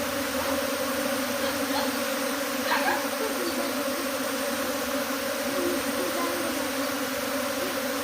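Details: A swarm of honey bees migrating from hive to tree fills the air with a steady, low, droning buzz.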